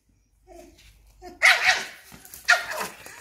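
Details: During a standoff in which a small female Papillon corners a Belgian Malinois, a low murmur gives way to two loud, shrill barks about a second apart, each trailing into a raspy tail.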